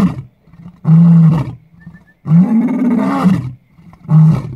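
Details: Lion at Lalibela Game Reserve in South Africa giving powerful low roars, three loud bursts of strained, sustained bellowing separated by brief pauses.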